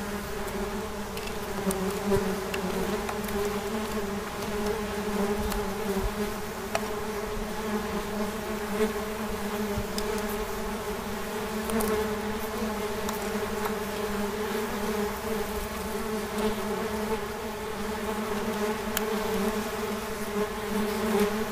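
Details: A sustained, rich buzzing from wasps that runs unbroken throughout, a steady low drone layered with several harmonics. The tone shimmers a little in strength, with faint ticking in the background.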